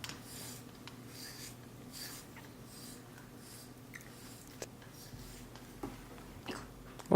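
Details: A small study room with low murmured speech, scratchy writing and rubbing noises, a steady faint hum and a sharp knock at the end, with no animal call.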